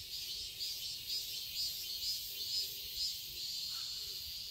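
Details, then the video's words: Cicadas in a garden in Seoul, Korea, on a quiet summer day: a dense, shrill buzzing chorus pulsing about twice a second, with a soft, low murmur underneath. "Cicadas chirping sounds"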